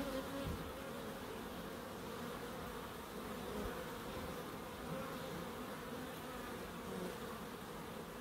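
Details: Bees in a small nature garden in Crookes: even, dense buzzing hum with steady harmonic bands, many wings droning together without pause, level and calm throughout.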